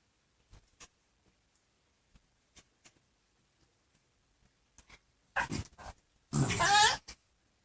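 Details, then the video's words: Two pug crosses, Ringo a chihuahua x pug and Bogart, playing together indoors: scattered soft clicks and patters, then two loud rough grumbling bursts near the end, the second longer and harsher. "Doggie play and weird noises"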